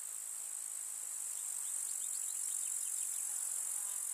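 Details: Rural summer meadow with wildflowers, where a chorus of grasshoppers keeps up a bright, continuous high-pitched stridulation, with faint short chirping notes flickering underneath in the second half.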